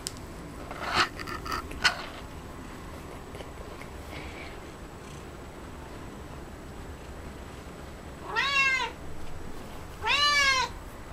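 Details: Cat eating cat grass; early crunchy chewing bursts, then two clear rising-and-falling meows a couple of seconds apart near the end, in a quiet room.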